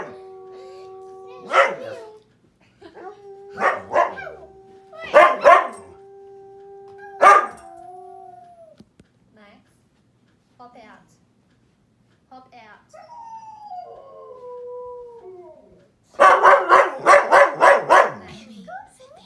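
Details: A husky howls at the television, giving sliding, falling howls and short harsh yips over steady electronic tones and TV sound, with a German Shepherd present.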